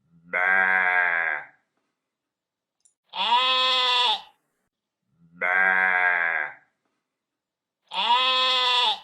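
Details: A sheep bleats four times, one call roughly every two and a half seconds. Each quavering, nasal baa lasts about a second and is rich in overtones, with silence between calls.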